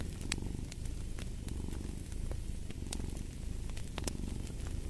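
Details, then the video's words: Domestic cat purring steadily, a low rumbling throb in slow breathing cycles, with the sharp pops and crackles of a fireplace fire scattered throughout. "Fall asleep to the Purring of a Cat & Fireplace"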